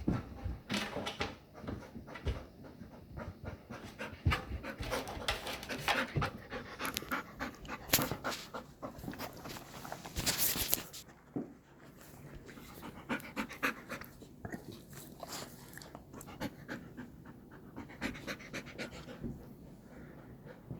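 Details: A golden retriever pants rapidly and unevenly while at play with a cat indoors, a long stretch of fast, airy breaths with occasional louder rustles and bumps.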